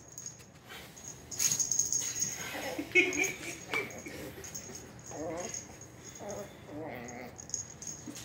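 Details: Two Shih Poos, a 1-year-old mother and her 8-week-old pup, play fighting indoors in a living room. A few scattered scuffles lead to quivering growl-whines in the second half, over a thin constant high-pitched hum.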